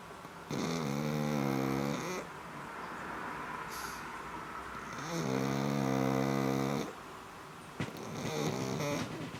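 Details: Black pug snoring with two long, rattling snores about four seconds apart, each near two seconds, and the start of a third after a brief click.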